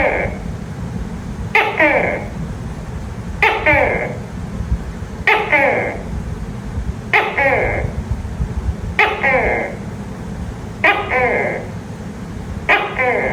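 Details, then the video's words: Tokay gecko heard at night giving seven evenly spaced, two-syllable calls, a short hard note then a longer rasping nasal note, repeated about every two seconds with steady rhythm, over a constant low-pitched hum. "Tiếng tắc kè kêu trong đêm, âm thanh tắc kè kêu"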